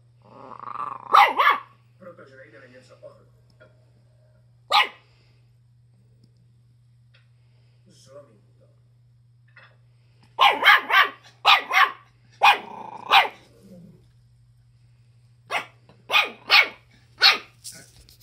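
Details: Schipperke dog barking while kept with a chicken: sharp, harsh single barks, one near the start and another after a pause, then tight bursts of three to four barks, with a voice briefly heard at the beginning.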